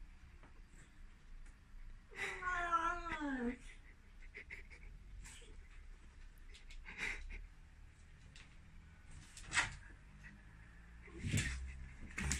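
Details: Excited Ragdoll cat running around indoors and meowing loudly: a single drawn-out, harmonic-rich meow that wavers and bends downward over about a second and a half, followed by scattered thumps, scuffles and clicks of movement in a small room.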